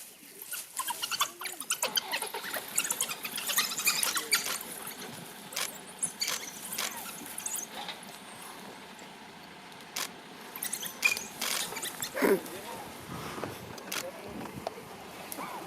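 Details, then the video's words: A pack of African wild dogs at play during a game drive, exploring the vehicle; bursts of high, squeaky twittering rise and fall over a steady rustling background, with a short gap of quieter air midway. "Wild Dogs At Play"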